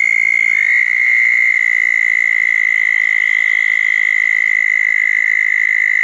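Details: Southern toads congregating at small ponds following a thunderstorm on June 10, 2014, sustaining a steady high trill; a second, slightly higher trill overlaps it for the first second and a half.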